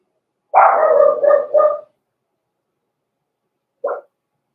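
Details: Cavalier King Charles Spaniel puppy, blenheim, from Red Barn Cavaliers' small Christmas-time litter: one drawn-out, wavering bark-howl lasting over a second, then a single short yip after a long quiet pause.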